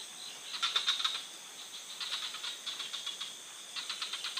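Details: Frog in forest surroundings producing quick clusters of clicky pulses, the first burst loudest, later ones softer, over a steady high whine.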